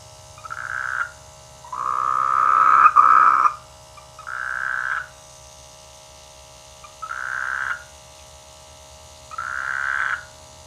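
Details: Frogs croaking in rice fields during the rainy season near a village; nasal, buzzy croaks of about half a second to a second, repeated every two to three seconds, with one longer, rougher croak near the start, over a steady low hum.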